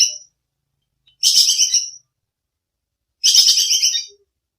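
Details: Squirrel known as bajing kekes, its call used to train songbirds: three sharp, fast-pulsed chattering bursts, each under a second, spaced about two seconds apart in otherwise clean silence.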